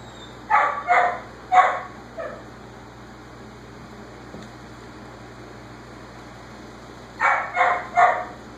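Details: A whippet barks in the background in short, sharp bursts of three or four separated by pauses, letting its owner know it has finished dinner, while six-week-old Basenji puppies play.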